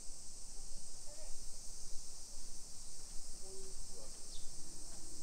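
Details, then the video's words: Afternoon cicada drone in Nisshin city, Aichi, Japan, recorded on 28 July 2021 while walking residential streets; a constant piercing high buzz dominates, with soft distant voices and occasional brief tones below. "Summer Cicadas Sounds"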